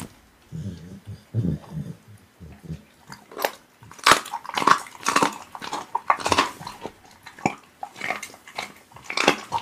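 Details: Pit bull eating raw meat indoors: a soft low murmur for the first three seconds, then a run of wet, crunching bites and smacks that come in uneven bursts.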